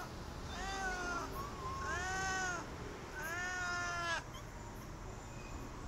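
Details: Stray cat asking for food, giving three drawn-out meows, each arching up then falling and lasting over a second, separated by short pauses, with steady background hum.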